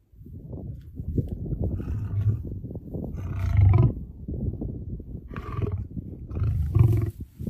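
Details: Sneezing lion beside a lioness; deep, rough rumbling breaths punctuated by several abrupt, hissy snorts, the loudest around the fourth and seventh seconds.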